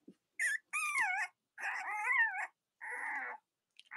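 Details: Cavalier King Charles Spaniel puppies from Robin and Myra's litters in the US, late October; long wavering whines, each lasting up to a second, rising and falling, separated by brief silences.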